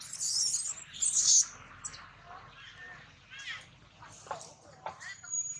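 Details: Newborn monkey crying loudly and angrily while its mother lulls it to calm down; shrill high squealing bursts in the first second and a half, then quieter chirping, wavering cries recurring every half second or so.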